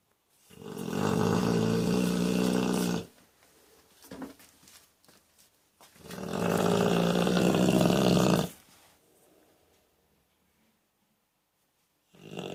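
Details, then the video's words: Worn out from running around, a sleeping dog from Moscow snores heavily: two long, coarse, rumbling snores several seconds apart, with soft breathy exhales between them and a third snore starting at the end. "Пес храпит, как пьяный мужик."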